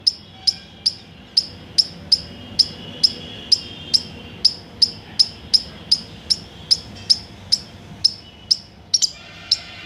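An Indian palm squirrel gives sharp, high, bird-like chirps, repeated steadily about twice a second.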